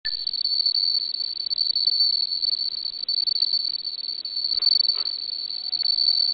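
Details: Bell cricket calling: a steady, high, pure ringing tone that trills on without a break, pulsing rapidly in loudness throughout, with a couple of faint soft clicks near the end.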